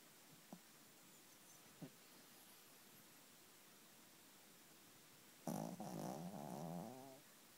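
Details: Exhausted from an afternoon bath, a female dog sleeps on a bed at night; two faint clicks, then a rough, fluttering snore of about two seconds that wavers in pitch and fades.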